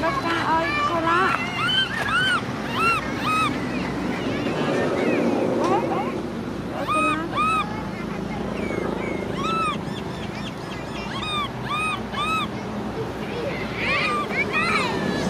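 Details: Baby macaque Cola crying, with sister Lyly angry nearby: a long run of high, arched, whining cries, rising then falling, repeated about twice a second in bursts, over a steady low rumble and wash of background noise.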